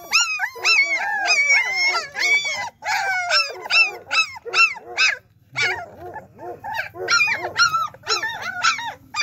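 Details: Several German Shepherd puppies from Pretty Boy and Trouble's nine-pup litter whining together, overlapping high squeaky cries crowding one another almost without pause, with a brief lull midway before the chorus resumes.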